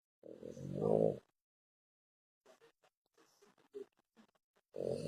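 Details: French Bulldog snoring heavily: one loud, rasping, harmonic snore near the start and another at the end, separated by a quiet stretch of faint soft clicks and breaths.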